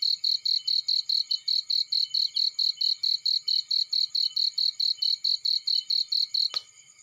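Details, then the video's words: Field cricket near a burning fire. Rapid, even high chirps sound about twice per second until a sharp crack from the fire near the end. The chirping then drops to faint. "Warm Relaxing Fireplace In Field || Burning with Cricket Sounds"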